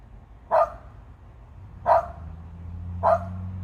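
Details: Dog named Jenny barking at a large bird perched high in a tree, three single barks spaced over a second apart, a low steady hum underneath.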